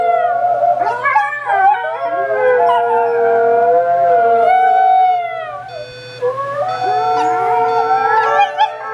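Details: A wolfdog (wolf hybrid) puppy howls in long, wavering, high-pitched notes that slide up and down, howling along to an alarm clock.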